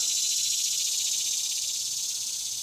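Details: Cicadas fill a Tennessee garden on a warm summer morning with a steady, high, hissing buzz that never lets up.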